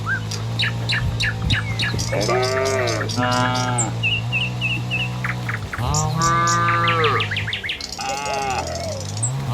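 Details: Tame cattle, part of a herd of dozens moving along a village road to the pen in the morning, let out drawn-out moos that swell and fade, about three long calls. Birds twitter and chirp throughout.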